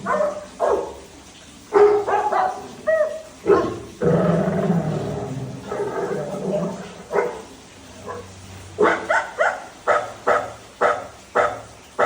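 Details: Labrador Retriever Dhoni, a pet dog, barks in clipped bursts, then a longer rough, drawn-out vocal stretch, followed by a rapid closing volley of sharp woofs.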